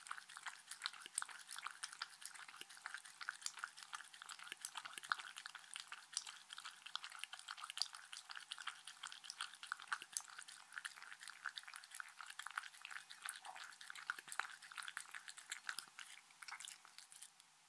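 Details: Indoors, Shetland Sheepdog Mindy eats and drinks with steady wet smacking and clicking. Fast overlapping mouth sounds and small liquid drips run without pause throughout.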